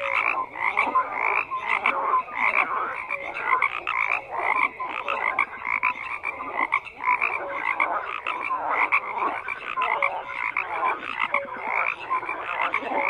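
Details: Dense chorus of many frogs croaking together, overlapping rasping pulses and short notes with no pauses, forming a steady wall of sound.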